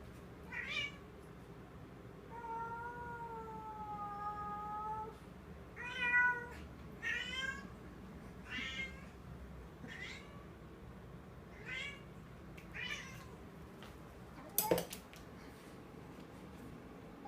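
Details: Domestic cat, female, indoors with a new toy in her mouth that she treats as real, making strange noises: a long wavering moan held steady for several seconds, then short harmonic-rich meows spaced a second or two apart, and a sharp click near the end.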